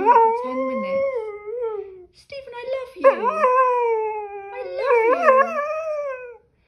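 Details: Dog fussing at its owner about being left alone for ten minutes, giving drawn-out, wavering, talk-like howls and yowls that rise and bend in pitch, in about three phrases with short breaks.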